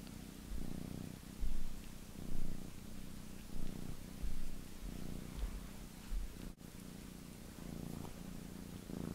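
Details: Two pet cats washing each other's faces, purring in a steady low rumble that swells and fades roughly once a second, with faint game sounds in the background.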